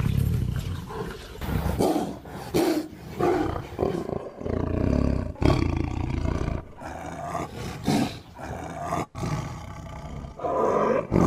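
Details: Repeated uneven tiger roars and growls, deep and raspy, rising and falling in loud bursts with short gaps between them.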